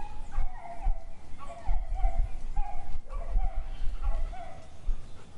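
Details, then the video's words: Dog barking in an urban garden in Brazil: short, rough barks repeated roughly every second over steady low background rumble, with distant traffic-like noise. "Dog Sounds 19 - Sound FX - Urban Garden in Brazil - Ambiance"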